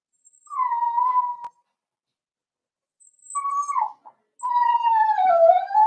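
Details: Four-week-old Cavalier King Charles Spaniel puppies in a home puppy pen, meeting older dogs during socializing, give three drawn-out whining whimpers, each near a second long, steady then slightly falling, with faint high tones between.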